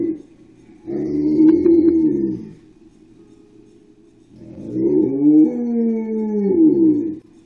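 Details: Dogs left home alone, caught on a spy cam and excited when their owner returns; two drawn-out, moaning, harmonic howls, the first about 1.5 seconds and the second about 3 seconds, wavering in pitch over a steady low hum.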